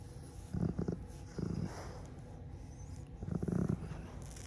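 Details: Puddy, a rescued dog, grumbling contentedly during an ear scratch: three short, low, rumbling bursts spaced about a second apart, separated by quiet pauses in a small room.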